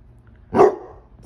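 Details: Basset Hound, one of two named Ari and Musta, barking on command after being asked to speak; a single short, loud bark lasting about a quarter second, with faint room noise before and after.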